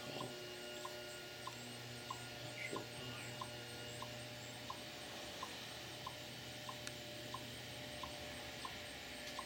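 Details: A chipmunk in a rose bed in Lenexa, Kansas, in September 2014 gives a steady string of short, sharp alarm chips, two or three each second, likely warning relatives about a hawk.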